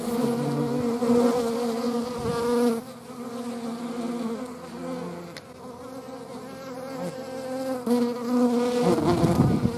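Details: Hornets flying, a steady droning wing buzz with layered humming tones that swell and fade as insects pass close, several buzzes overlapping throughout.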